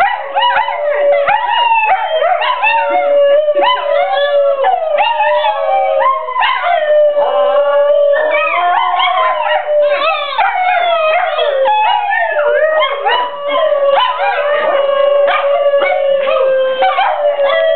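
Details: Chorus of howling from two Basenjis, a Pug and a Saluki: long sustained droning howl underneath many quavering, swooping higher voices that break into short yips and warbles, continuous and dense throughout with almost no pauses.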